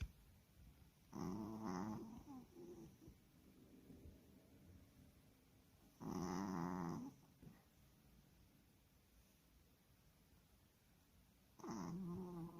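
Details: Maltese puppy, tired after a trip to Wonju, snoring indoors; three long rasping, buzzy snores about five seconds apart, each lasting about a second and a half, with quiet breathing between.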